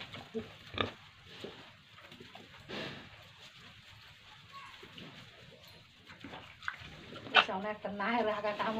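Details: Farm pigs in Tripura with piglets: scattered low grunts beneath a quiet stretch, then a sharp, harmonic squeal followed by excited squealing and grunting at the close, with some talking nearby.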